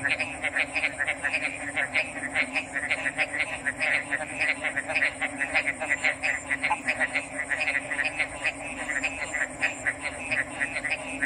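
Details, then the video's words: Dense chorus of frogs giving fast, rattling croaks in quick succession, steady and busy from start to finish, with an unbroken high-pitched hiss behind them. "RELAXING ORIGINAL FROG'S SOUNDS"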